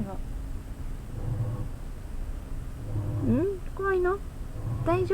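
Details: Indoor house cats Sora and Chitan, an orange tabby and a black cat, spooked by a washing machine's noise; short tonal meows, one wavering and others flatter, over a rhythmic low machine thumping and a woman's soothing voice.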